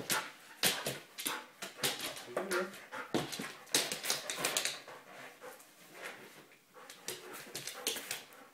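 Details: Almost three-year-old male Airedale Terrier playing carefully with a balloon indoors; short whimpering tones surface among dense, rapid broadband scratches, squeaks and thumps of the balloon being handled.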